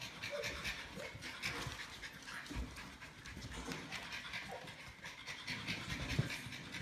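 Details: Rapid, rhythmic huffing breaths from a Norwich Terrier inside a house, the panting continuous and even throughout with little else heard, only faint room noise.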